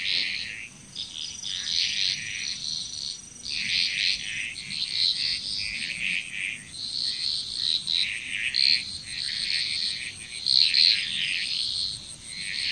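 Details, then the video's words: Dense frog chorus from Bali, Indonesia, with many overlapping rattling, pulsed calls forming an almost unbroken wall of sound. A constant high, thin insect tone runs throughout. "Frog Chrous"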